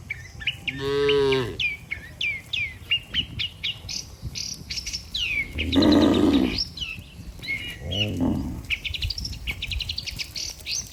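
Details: Healthy cattle in a herd led by a herdsman toward the barn, lowing with a harmonic moo near the start and two shorter, rougher moos later, over constant chirping and twittering of many small birds.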